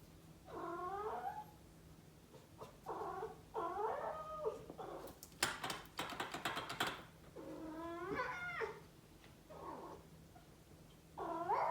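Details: Toby, a high-energy male Norwegian Forest cat, meows at home in spring, pleading to go out into the backyard: a run of long, wavering, harmonic-rich meows rising and falling, with a burst of clicking or rattling near the middle.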